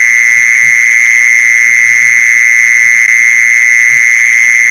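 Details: Mole cricket lure sound: a constant, shrill buzzing trill at one even pitch with a faint overtone above, level throughout; scattered soft low knocks in the background.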